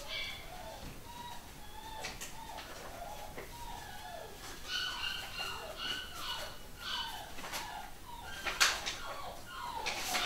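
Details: Pedigree Long Haired Miniature Dachshund puppies from a new UK home-bred litter. Many quiet, chirpy squeaks and short whines overlap throughout, some sliding downward, over a faint background hiss.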